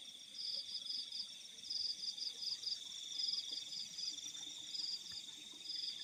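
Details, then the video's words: Night-time chorus of crickets in open fields: a continuous shrill hum with rapid pulsed chirps layered above, arriving in quick clusters roughly every half second, over an otherwise still, quiet night. "The Sound of Crickets in the Fields at Night"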